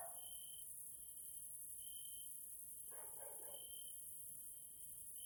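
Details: Grasshoppers (Caelifera) sounding in the evening in a nature area in Hungary, Central Europe: a continuous shrill high hiss and longer steady tones, with a short broadband rustle near the middle.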